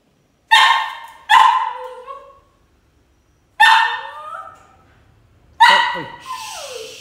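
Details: Cavalier King Charles Spaniel named Chloe, overexcited as her owner comes home from work, gives four loud, high, strained whining yelps in two close pairs, each sliding down in pitch and trailing off, the last fading into rustling.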